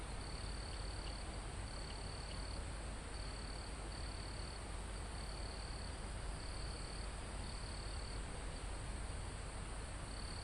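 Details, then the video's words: Live recording high on a forested mountain: crickets give a string of about eight even, high-pitched buzzing trills, some short and some near a second long, spaced irregularly, under a steady wash of wind through the leaves. "Calm Forest in Mountain With Crickets, Insects Sound"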